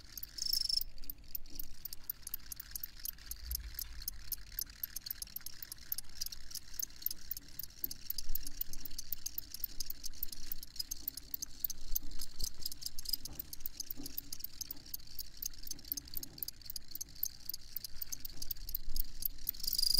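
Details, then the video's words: Dense, unbroken cricket chorus, rapid shrill pulses running without pause for the whole stretch, over a faint low background hum. "Crickets Chirping"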